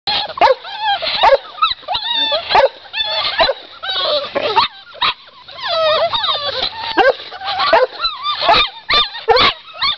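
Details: Litter of Pit Bull / Boxer mix puppies giving high, overlapping whines and short yips in quick bursts, with a man's voice calling to them at times.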